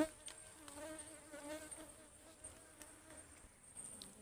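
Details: Honeybees flying about as a wild forest hive, locally called ligwan, is harvested near a stream; a continuous droning hum with stacked harmonic tones, slightly rising and falling, over a constant high hiss.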